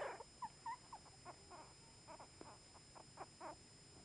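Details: Just-born Chihuahua pups, part of a litter of two boys and a girl, squeak softly in short rising chirps about three times a second against a steady background hum.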